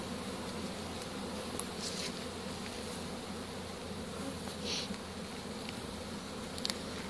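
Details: Buzz of a honey bee swarm during capture with a pole bucket in spring 2015, a thick even hum with strong low harmonics and occasional brief hissing brushes and taps.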